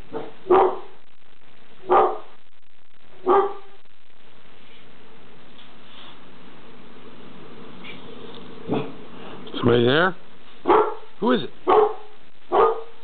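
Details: Reggie, a household dog, barking at something in the kitchen: three well-spaced gruff barks, then a faster cluster of barks mixed with excited human voices urging him on.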